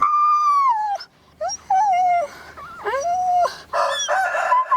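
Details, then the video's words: Young dog giving a long, falling howl-like whine, followed by shorter wavering cries and a rougher, noisier burst toward the close. "Lovely animals the activities of familiar cut dog, puppy sound effect"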